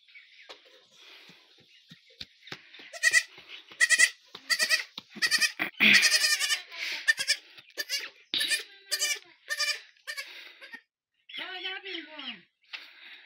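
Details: Young goat kid giving a run of loud, tremulous bleats in quick succession, then a pause and a lower, drawn-out wavering bleat near the end, while a child plays close by.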